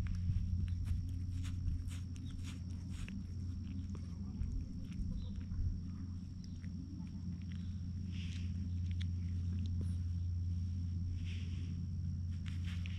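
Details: Calm cat lying in the sun while being stroked, recorded with a GoPro HERO8: a steady, continuous low rumbling drone throughout, overlaid by soft rustling, brushing and scattered clicks from handling.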